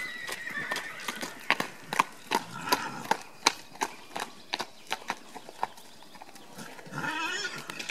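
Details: Horses setting off at a run: rapid, uneven clip-clop hoofbeats throughout, with a shrill, wavering whinny in the first seconds and another high, quavering neigh near the end.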